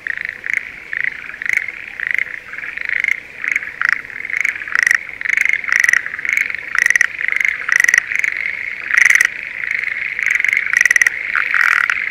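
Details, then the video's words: Spring rice paddy chorus of Schlegel's green tree frogs near Sendai, Japan, in the breeding season; rapid clattering calls repeated almost every half second over a dense, humming background chorus. "シュレーゲルアオガエルの鳴き声Voice of schlegel's green tree frog"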